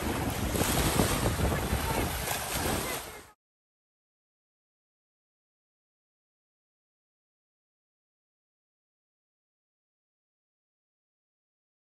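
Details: Roaring wind and crashing surf on a beach for about three seconds, then complete silence.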